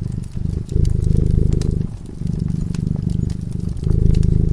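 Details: Domestic cat purring while sleeping in front of a crackling fireplace; steady low rumbling purr in long phases about a second or more each, with brief dips between breaths and sharp fire crackles and pops throughout.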